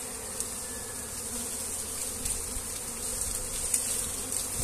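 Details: Massed honey bees humming steadily while their wax comb is handled and transferred into a hive; even, unbroken buzzing drone with light rustling.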